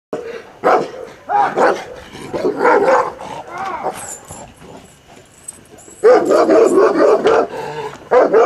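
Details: An older Kuvasz undergoing a courage test gives deep, full barks in short bursts, with people talking between them.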